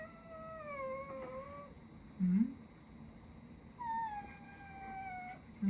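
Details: Family of pet Miniature Dachshunds, four dogs in one home; long, thin, whistling whines that waver and slide slowly downward, two drawn-out cries separated by short low grunts and quiet indoor background.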